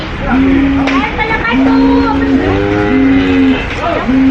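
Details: Cows on a farm giving long, flat, steady moos, each held about a second and repeated with short gaps, over a low murmuring background of other animals.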